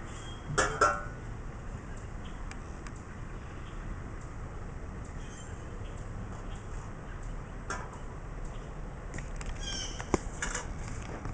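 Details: A house cat roaming the wooded backyard and catching a big rat gives one short, loud, harmonic meow near the start. It is followed by a long quiet stretch with faint clicks and rustles.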